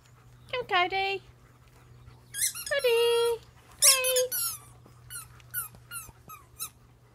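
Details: A German Shepherd pack gives short, high whining squeals, some rising then falling, in bursts with pauses, then softer, clipped yelps toward the end; a steady low hum runs underneath.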